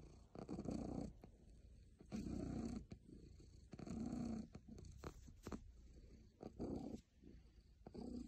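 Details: A very happy cat purrs steadily: a throaty, vibrating rumble in roughly one-second waves that rise and fall with its breathing, broken by short quiet gaps.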